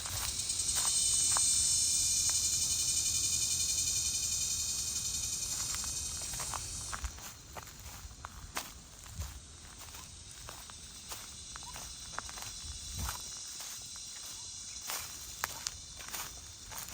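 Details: Cicadas by a rain-flooded rice field in Mindanao, Philippines, under hot sun after a long drought, give an incredibly loud, steady, high-pitched buzzing drone that cuts off abruptly, leaving footsteps crunching.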